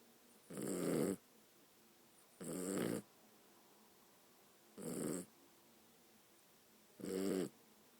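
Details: Pet dog asleep and snoring, four rasping, buzzy breaths arriving roughly every two seconds, each a short burst of raspy, hissing noise with a vibrating low rattle, separated by quiet indoor silence.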